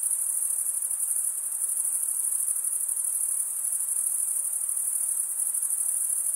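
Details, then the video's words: A short stretch of cricket stridulation: a constant, sharply high trill with a fine, rapid pulse and an even loudness, set against background silence. "Most relaxing cricket sound"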